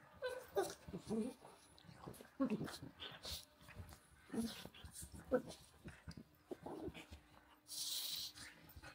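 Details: Pug Walter and husky Rhett Butler wrestling in play, giving repeated low grumbling growls and snorty breaths in short bursts every second or so, mixed with scuffling, panting and a burst of hissy noise near the end.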